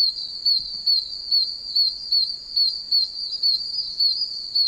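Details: Dozens of tiny oak toads in puddles of a wet wilderness area, deafening chorus: shrill high chirps repeating steadily a little faster than once per second over a continuous high-pitched hum of other callers.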